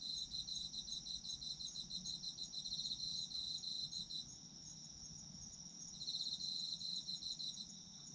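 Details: Steady high insect trilling from autumn insects, with a run of rapid chirps for the first four seconds, a lull, then chirping resuming.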